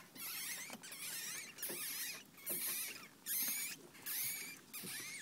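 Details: One-day-old newborn ferret kits squeaking in repeated bursts roughly every second, thin high wavering whistles and chirps in a quiet indoor setting.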